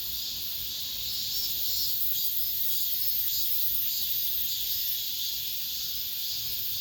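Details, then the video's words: Late-summer cicada chorus in an apartment complex, heard as the last of the season: an unbroken shrill buzzing wall of sound, gently swelling and easing, with no other voices or noises standing out. "올 여름 마지막 매미소리"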